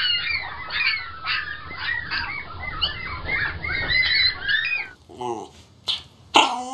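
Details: A litter of puppies squeaking nonstop, thin high wavering cries in rapid overlapping bursts, then the squeaking stops and a woman's voice and a few knocks follow.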